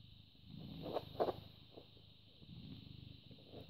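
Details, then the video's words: British Shorthair cat born 18 August 2010, recorded 14 May 2017 in the morning, purring in a low throbbing rumble while a few sharp rustling clicks sound near the one-second mark, with a steady whine behind. "British Shorthair Cat purring"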